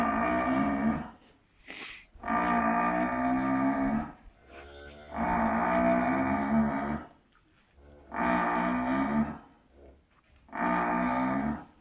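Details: Moaning from a pedigree Shorthorn cow as she brings up cud to chew, not in pain, a lifelong habit; four long, full harmonic moans roughly every three seconds, steady and drawn out, with a short sharp noise near the start.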